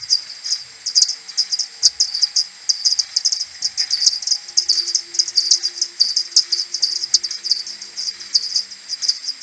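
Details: A common pipistrelle maternity colony returns to its roost in the morning on 21 May, recorded on an AudioMoth and slowed tenfold: many thin, high squeaks and ticks crowd over one another in rapid bursts.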